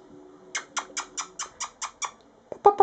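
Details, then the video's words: Brindle Mastiff puppies four weeks old, about eight pounds apiece, produce a quick even series of eight sharp squeaky yips roughly every fifth of a second, ending with two louder, rougher squeals. "Mastiff Puppies"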